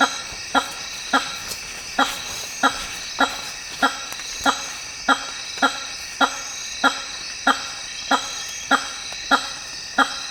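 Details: Hammer-headed fruit bat in the African rainforest giving a steady series of loud, short honks, about one and a half per second, over a dense chorus of high-pitched insects.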